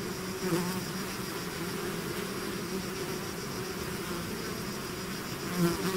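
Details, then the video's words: Bee swarm leaving its hive, a dense continuous buzz of many insects with low droning bands and a steady high hiss, level holding even throughout, individual bees briefly louder near the start and end. "bees therapy swarm natural buzzing sound"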